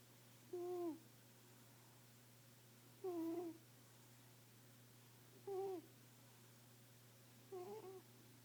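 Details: Female house cat snoring in her sleep, four tonal, reedy breaths that bend downward at the end and come roughly every two and a half seconds, with a constant low hum in the background.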